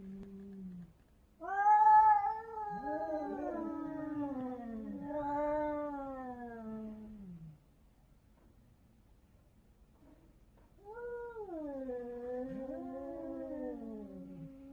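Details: Cats, several yowling loudly in a territorial fight, filmed in Korea: long wavering howls that rise and fall, one cry swelling sharply near the start, a pause, then another drawn-out undulating wail.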